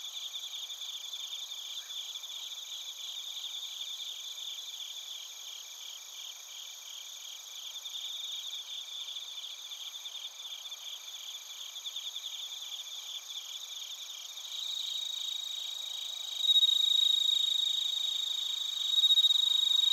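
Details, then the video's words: Bell crickets and other crickets chirping in Narita, Chiba Prefecture, Japan, recorded on a TASCAM Portacapture X8: a steady high pulsed trill with shimmering overtones, several callers overlapping, with a nearer insect growing louder in the last few seconds. "スズムシとコオロギの鳴き声 - Chirping of crickets"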